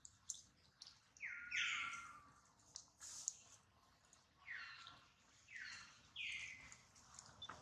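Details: Hurt baby monkey named Duke, his mother Duchess worrying over him, gives shrill downward-sliding wails in bursts of one to three, separated by short gaps with soft rustling and clicks.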